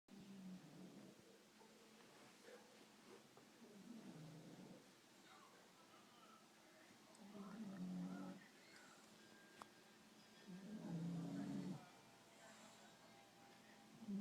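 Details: Bulldog snoring indoors, low rumbling snores in four slow bursts a few seconds apart, each about a second long, with quiet room noise between them.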